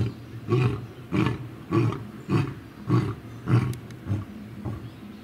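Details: Lion producing a run of deep, punchy grunts, roughly every 0.6 seconds, each one a short explosive huff, tailing off into quieter breaths.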